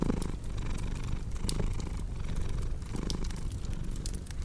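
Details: Soft, throbbing purr of a cat, a low vibrating drone pulsing in breath-length swells, set against light crackling and snapping from a fireplace.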